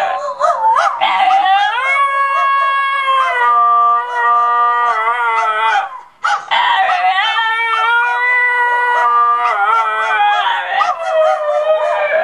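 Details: Lyla the basenji and Juice the Mini-Aussie howl and yodel together indoors. Two long sustained howling phrases, each opening with yipping bursts, then a smooth drawn-out tone that wavers slightly, separated by a short break.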